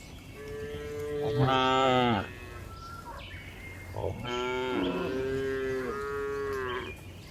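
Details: Cows walking on a hill, one long rising moo followed after a pause by a second extended, wavering low, with faint background rustle.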